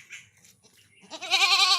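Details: A village goat pestered by mosquitoes and flies: faint rustling, then a loud quavering bleat rising in through the last half second.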